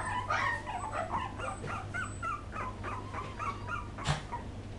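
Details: Poodle puppies from 2012 whining softly: short, thin squeaks and whimpers repeated in quick succession, fairly faint against a constant low electrical hum, with one brief louder rustle near the end.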